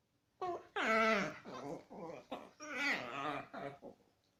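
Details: Chihuahua cross dogs making funny noises while playing together indoors: about six harmonic, whiny grumbles and yelps with falling pitch, bursts of roughly half a second in a loose series over four seconds, no other clear sounds.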